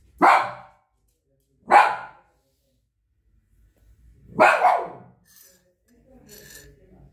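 A Shih Tzu gives three sharp, mid-pitched barks, spaced unevenly a second or two apart.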